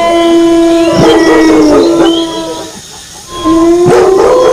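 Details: Wolf howling alongside barking dogs: a long steady low howl with bright overtones, a second howl rising then sliding down over it, and sharp barks cutting through around the first and fourth seconds.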